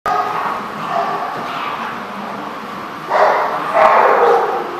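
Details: Dog barking at The Barking Lot, recorded 14 March 2014: two loud, broad barks with strong harmonics near the end, after a stretch of fainter, muffled barking and background chatter.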